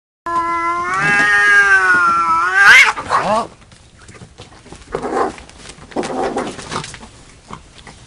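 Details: Domestic cat giving one long, drawn-out meow lasting over two seconds, wavering and then rising sharply at the end, followed by scattered rustling and clattering bursts of noise.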